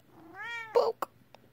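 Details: A female British Shorthair cat gives a short, rising meow, followed by a brief thump and soft clicks.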